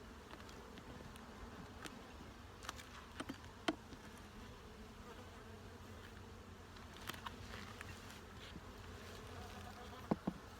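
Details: Colony of honey bees humming during a hive inspection, the box judged ready for a super. An even, low buzzing drone runs throughout, broken by scattered sharp knocks and clicks of frames being moved.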